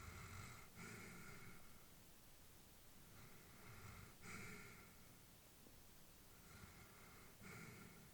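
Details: Old female Labrador asleep at home, slow breathy inhalations and exhalations about every one to three seconds, soft and airy with faint snoring rasp, steady low background hiss.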